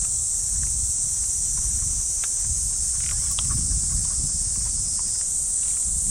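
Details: Cicadas keep up a constant high buzz from the trees of a Japanese park on a summer morning, over heavier low rumbling and footsteps as a Shiba Inu is walked along the path.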